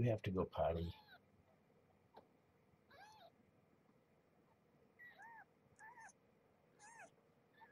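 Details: Kittens of Marge, a rescued stray mother at Purrfect Pals, calling at morning feeding time: after a short burst of speech, thin high arched mews repeat roughly once a second over a quiet hum.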